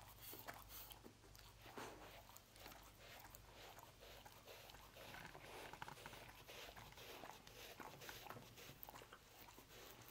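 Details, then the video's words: Pet dog Lucy eating roast beef in a small room, dense continuous chewing and slurping smacks with scattered louder crunches, low background hum throughout. "Dog Eating Roast Beef"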